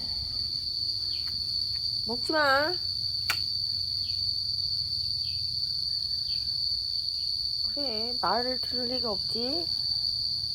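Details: Momo, a yard cat in Laos, fights to defend its territory at the start of the rainy season. Wavering, harmonic yowls rise and fall near two seconds and again from eight to nine and a half seconds, over a steady high insect drone and short repeated chirps.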